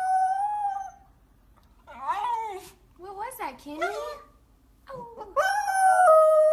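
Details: Howling poodle from a 2016 compilation: a series of wavering, yodel-like howls, each bending up and then down, separated by short silences, ending in a sustained higher howl.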